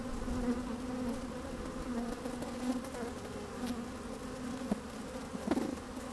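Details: Busy honey bees moving about in an opened hive on a sunny, slightly windy day, recorded from inside the hive; continuous layered droning hum with brief louder buzzes and clicks near the end.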